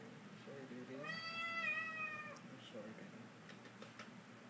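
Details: New kitten climbing up on a person indoors, uttering a single clear, level meow of about one second, with a person's soft speech before and after.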